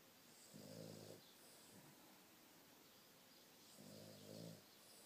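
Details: Boston Terrier asleep and dreaming, caught on a phone indoors: two deep, buzzy snores about three seconds apart, each with a rough layered drone, separated by a softer breathy inhale over a quiet hiss.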